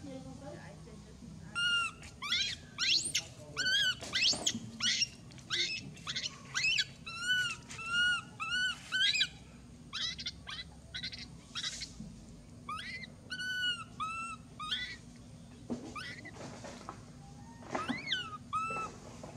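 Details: Loud crying from Mila, a baby monkey repeatedly bitten and mistreated by her crazy mother: a series of squealing, arched harmonic wails in quick clustered bursts, separated by short pauses, over faint background noise.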